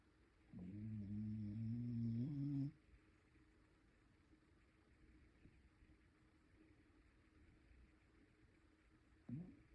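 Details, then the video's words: Mixed-breed pet dog snoring indoors: one drawn-out, steady, low droning snore lasting about two seconds, then quiet breathing, with the next snore just starting at the end. "코고는 강아지"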